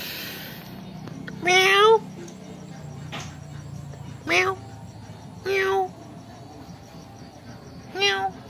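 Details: Kitten in a family home meowing in reply to its owner: four clear harmonic meows near 1.5, 4.4, 5.6 and 8 seconds, each rising then falling, the first longest, over a low household hum.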